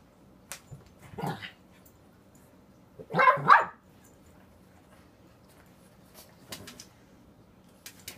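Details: Pekingese pup indoors giving two short, sharp yips, the second a quick double bark, with faint taps and small household sounds between.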